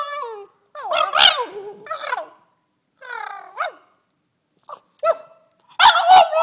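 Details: A relaxed two-year-old female French Bulldog "sings" and "converses" with sing-song howling and whining sounds, rising and falling in short bursts.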